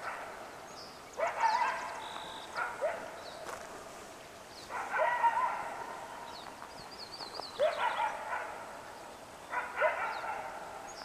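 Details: Morning coyote chorus on the West Walker River, with clustered barks and extended raspy yips in several bouts separated by pauses, and high bird twitters faintly overhead.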